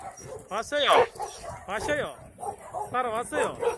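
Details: Shelter dogs at the Yangsan Mindeulle refuge, met on a volunteer visit, let out three bursts of excited, bending yelps and whimpers, each climbing sharply in pitch. Voices and background noise fill the gaps between bursts.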